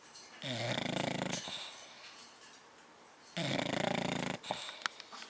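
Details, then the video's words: Tyra the bulldog snoring during a nap indoors, dated 10/29/12: two long, loud, rasping snores about three seconds apart, each a broad raspy noise lasting roughly a second, with quieter breathing and small clicks between. "Tyra the Bulldog Snoring. Naptime 10/29/12"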